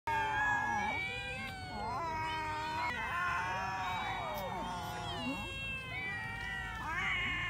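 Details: Several cats eating raw fish, their meows overlapping continuously: long harmonic wails rising and falling, some bending sharply, layered throughout with little pause.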